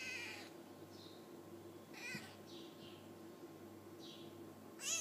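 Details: Five-day-old F1 hybrid Bengal kittens, sired by a leopard cat (Felis bengalensis) out of a Bengal mother, giving thin high-pitched mews: loud cries at the start, middle and end, with fainter short cries between over a steady low hum.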